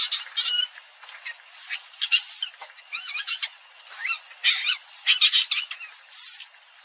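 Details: Common palm civet vocalising in a short burst of scratchy squeaks and rising squeals, tightly packed, with a fuller squealing cluster near the end.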